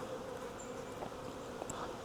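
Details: Honey bee swarm being caught from a tree branch during beekeeping; continuous droning buzz with a low hum band and small passing whines of individual bees over the mass.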